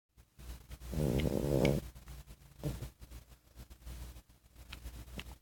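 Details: A sleeping 14-week-old French Bulldog puppy, recorded 2 March 2014, gives one snore: a buzzy, rattling breath of under a second, then softer snuffling breaths in a quiet room.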